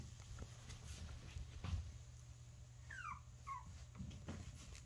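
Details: Teacup Poodle puppy, energetic, eating and playing: two short, high, falling whimpers about half a second apart, over a constant low hum and soft knocking sounds.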